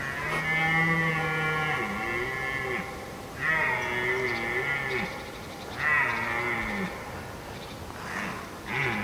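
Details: Red deer roaring: three long, harmonic-rich bellows of about two and a half seconds each, steady and low, coming roughly every three seconds, each ending with a short dip in pitch.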